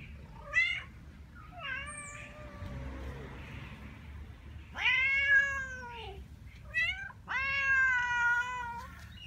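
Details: Tabby cat in a feral colony meowing angrily at other cats: several drawn-out, harmonic-rich meows, some wavering and falling, others rising then dropping, with a low rumbling background hum throughout.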